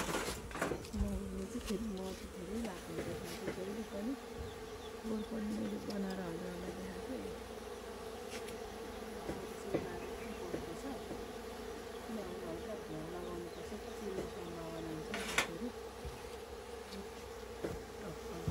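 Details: Local honey bees at a hive in a farm's goat shed: a continuous low droning hum beneath scattered clicks and knocks, with some quiet human voices in the background.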